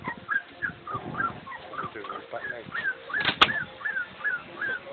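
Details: Three-week-old Boxer pups from a litter of eight whine continuously. Their thin, bent squeaks repeat several times a second and overlap, with one sharp click partway through.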